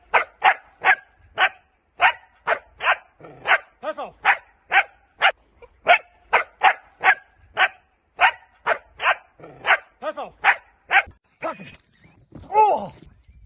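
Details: Dutch Shepherd barking during training: a long run of sharp, loud barks repeated steadily about every half second, with a brief rising whine and a faint voice near the end.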